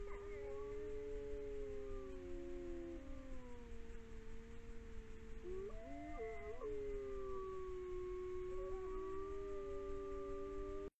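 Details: Iberian wolves (Canis lupus signatus) at a sanctuary in Galicia howl in long, steady, mournful notes that slide between pitches, voices overlapping; howling keeps the pack together.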